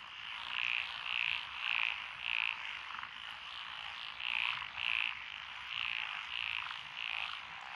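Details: Frog chorus from lotus rice paddies beside a rural road in Echizen, Fukui Prefecture, Japan, 12 June 2021; one nearby frog gives bursts of short grating croaks, roughly two per second with pauses, over a continuous droning chorus.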